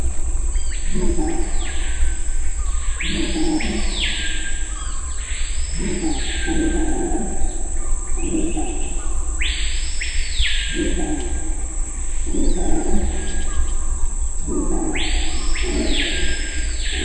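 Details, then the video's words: A red howler monkey in Suriname gives deep, rasping roars in rhythmic bursts every two to three seconds. "Howler Monkey sounds"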